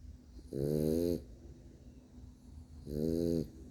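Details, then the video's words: A sleeping male French Bulldog gives two rough, vibrating snores about two seconds apart, each lasting over half a second, in a quiet indoor room. "French bulldog snoring"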